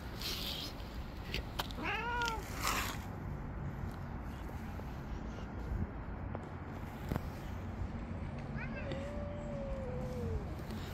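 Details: Tabby cat among stray street cats, jealously attacking and pushing away other cats that approach. Two drawn-out meows: one short arched cry early, then a long, steady, slightly falling wail, over constant low outdoor rumble.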